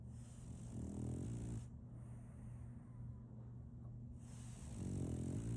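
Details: Solaimy, a female French Bulldog puppy, sleeps and snores. Two gravelly, rattling inhalations come about four seconds apart, with a quieter breathy pause between them. A low steady hum runs underneath.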